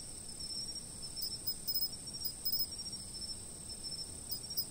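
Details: Insect chorus from a fixed camera: a shrill, unbroken high-pitched ring with scattered quick ticking bursts and a gentle low rustle of ambient noise beneath.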